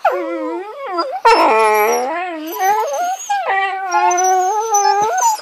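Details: Whippet puppies, being mouthy, yodel and whine in wavering, high-pitched howls that slide up and down.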